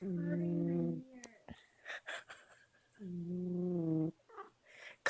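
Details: Domestic cat snoring loudly: two low, sustained buzzing drones about a second long each, separated by a person speaking, with clicks and rustles between.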